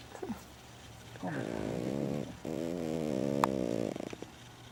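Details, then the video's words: Female dog Lulu, asleep at home, makes long, gravelly snores that waver slightly in pitch. They run almost continuously for about three seconds after a brief soft noise at the start. "Mi perrita LULU roncando"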